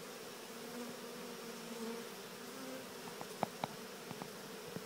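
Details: Swarm of honeybees walking into an experimental Cathedral Hive during installation; a steady low droning hum with faint higher tones wavering on top, joined near the end by a few sharp taps.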